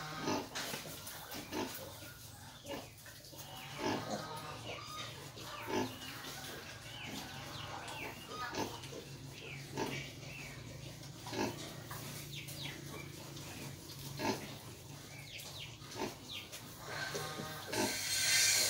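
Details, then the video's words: Hybrid wild boar mother nursing her piglets; steady short grunts run throughout with brief higher squeals and snuffles mixed in, ending in a burst of hiss. "Heo rừng lai cho con bú sữa"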